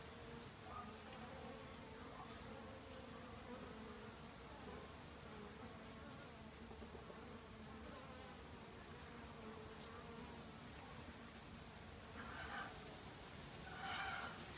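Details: In autumn, honey bees hurry about gathering food for overwintering; a continuous low buzzing hum with a higher harmonic runs throughout, with brief brighter rustles and louder close passes toward the end.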